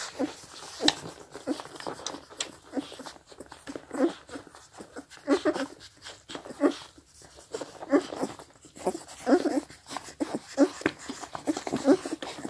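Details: Four-week-old Scottish Deerhound puppies drinking make a steady patter of thin, high whimpers and brief squeals, several each second at times, with faint wet lapping and small shuffling sounds between calls.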